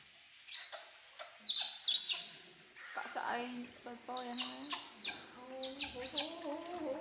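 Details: Baby monkey Poy protests bath time with baby monkey Nita: a run of short, rising whimpering cries grows more frequent toward the end, punctuated by bright water splashes.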